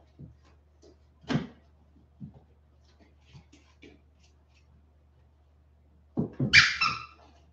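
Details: Westie puppies, 47 days old, indoors after an outdoor break: scattered soft taps and scuffles, then near the end a sudden loud, high, squeaky yelping whine lasting under a second, rich in overtones.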